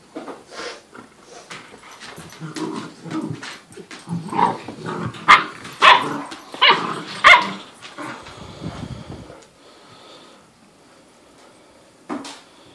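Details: A one-year-old Doberman playing indoors with a 10-week-old mastiff/Great Dane puppy: irregular barks and growly yelps in a cluster around the middle, then quieter, with a single bark near the end.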